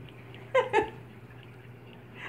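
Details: Two Chihuahua puppy sisters rough-housing at play indoors, one just flipped upside down: two quick, high, sharp yelps in close succession, then quiet room with a low hum.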